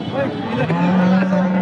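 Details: Holstein Friesian cow at a cattle market in Peth Vadgaon, Maharashtra, India: a low, steady moo begins partway through and is held for over a second, amid crowd chatter and vehicle noise.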